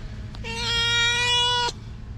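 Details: A stray cat gives a single sustained meow, about one and a quarter seconds long, level in pitch and rich in harmonics, with a faint low hum behind it.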